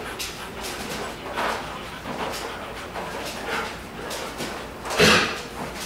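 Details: Three-day-old Belgian Malinois puppies, whelped June 8, 2012, nursing from their mother Kaya inside a plastic whelping box. Soft clicking and suckling noises run throughout, then a brief, sharp squeak near the end.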